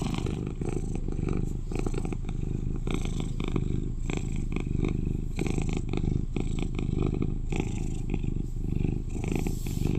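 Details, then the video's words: Male British Shorthair cat, eleven years old, purring close up: a continuous deep, vibrating rumble with gentle swells in loudness and light crackling rustles throughout. "Sweet Cat Purrs to Lull You to Sleep"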